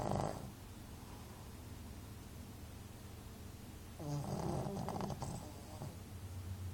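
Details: A male Shih Tzu asleep right after lying down makes a brief snore, then quiet breathing, followed by a longer, fluttering, snorting snore with rattly pulses.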